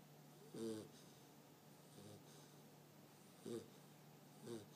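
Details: Loud snoring from a sleeping American Bulldog puppy, with four short, raspy inhaled snores at uneven intervals, the first and last strongest, over a constant low mains hum in a quiet room.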